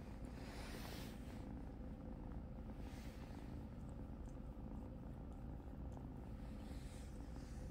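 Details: Kitten Cupcake purrs while being groomed by blind cat Helene, a steady low continuous rumble throughout, with faint rustling above it.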